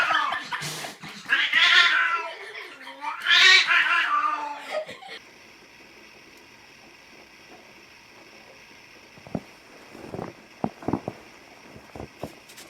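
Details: Domestic cat in a compilation of funny cats and kittens, giving two long, wavering, drawn-out yowls across the first five seconds. Near silence follows, with a steady faint tone and a few soft knocks and thumps.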